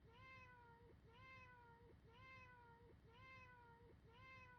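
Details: A cat's single meow looped over and over, sounding roughly every second: a quick upward onset settling into a level, gently sagging cry, bright and harmonic, with a faint low rumble underneath.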